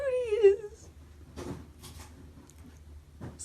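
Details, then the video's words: A lazy pet cat yawning indoors, with a drawn-out squeaky, harmonic meow-like yawn that wavers and falls in pitch over under a second, followed by soft rustling and handling noises. "Lazy cats kittens yawning"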